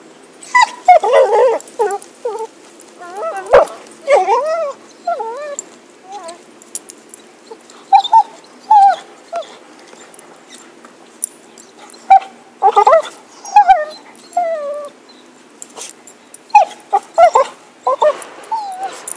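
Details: Happy the dog with a stick, whining in repeated short bursts of high, bending yips and squeals, each burst about a second long with brief pauses, plus a sharp click and light handling noise.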